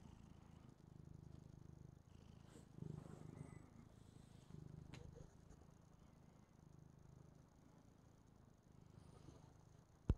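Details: Purring female house cat fascinated by her own image on a TV replay; deep, even rumble in repeated breath cycles, quiet throughout, ending with a sharp click.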